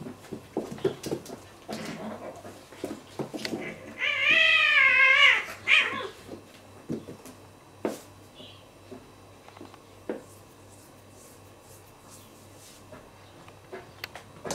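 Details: Real cat fight indoors: scattered scuffles and taps, then a loud, quavering howl of about a second and a half with rippling pitch. Isolated knocks and bumps come after.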